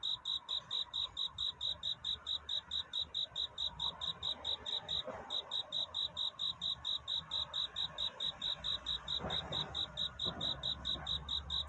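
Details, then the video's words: Cricket calling for a mate on a night turning to dawn: crisp, high, tonal pulses repeated steadily about four per second, with a couple of faint knocks or rustles in the background. "귀뚜라미 울음소리. 슬퍼 말아요 우는 것이 아니라 사랑을 찾는 노래랍니다"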